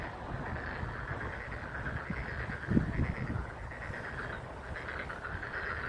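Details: Frogs singing on 30 April 2023 beside a Chinese fringe tree swaying in the wind: a steady, mid-pitched trilling chorus runs throughout beneath a heavy low rumble of wind, with a brief thump near the middle.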